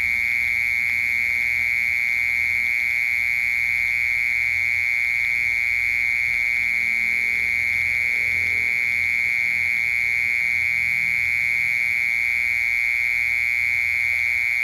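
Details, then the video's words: Unbroken mole cricket trill: a loud, even, high-pitched buzz held without pause or change, like an electric tone, over a quiet low background hum. "Sounds of Mole Cricket and Cricket/សម្លេងមេខ្មុល និងចង្រឹត"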